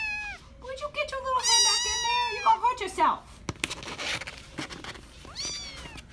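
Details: Kitten in a cardboard carrier box at an animal shelter in Philadelphia, USA, recorded September 22, giving several high, harmonic-rich meows that rise then fall and waver, with a shorter mew near the end; a person talks quietly between calls.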